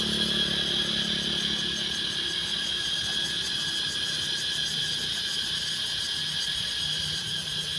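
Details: In Laos, cicadas give a steady, shrill electric drone with a fast pulsing shimmer at the top.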